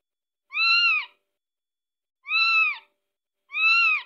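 A Scottish Fold kitten gives three high, arched meows, calling for its mother.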